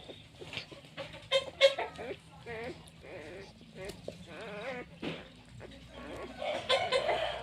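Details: A litter of nine newborn puppies cries in thin, wavering whines that bend up and down in pitch. The whines repeat in quick bursts and overlap, with people talking in the background.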